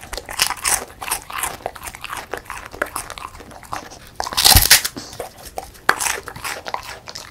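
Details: Crunching of a crispy puffed rice snack by a female pet beagle: brittle crackling bites in steady clusters, one especially loud crisp snap midway, then quieter chewing and a few further crunches.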